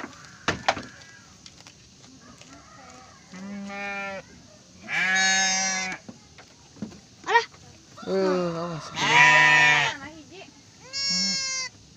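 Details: Bleating from a Garut sheep ewe during the birth of triplets: about five quavering bleats of varying length spaced over twelve seconds, a few faint clicks and knocks between them.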